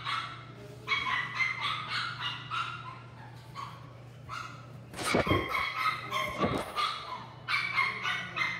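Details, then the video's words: Female Chihuahua-Poodle cross at a pet shop in Hamakita yapping in fast, uneven runs of shrill barks, a few whiny notes mixed in, and two louder thumping knocks near the middle over a low constant hum. "チワプー ♀"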